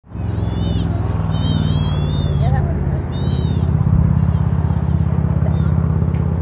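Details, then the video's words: Baby sea otter, the loudest among many babies in a group of otters, complaining while its mother cleans it before she puts her paw over its mouth; repeated high wavering squeaks over steady low rumbling noise. "Mother Sea Otter Silences Squeaky Baby"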